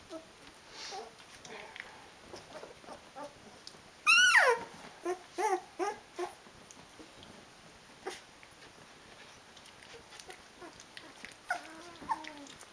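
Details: Sixteen-day-old Rhodesian Ridgeback puppies of a litter, eyes open, calling their mother to feed them: a loud squealing yelp, then short whines and sparse soft whimpers in a quiet room.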